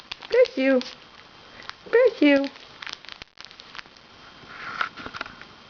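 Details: Katy Scarlett, a four-week-old Tibetan Terrier puppy, gives two short bursts of high, wavering whines and yelps about a second and a half apart, followed by soft sniffing and rustling while a person talks to her indoors.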